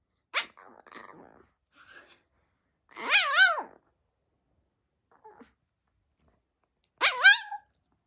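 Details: Janggun, a seven-year-old male Maltese kept as a pet, gives wavering, warbling whine-howls in two short bursts separated by quiet, with a few soft whimpers and small sounds between.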